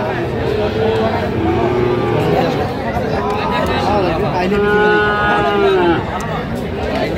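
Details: Cattle market in Gopalganj, 22 July 2025, with Sahiwal bull calves for sale: drawn-out, wavering moos rise and fall, two main calls a few seconds apart, beneath loud overlapping human chatter and price haggling.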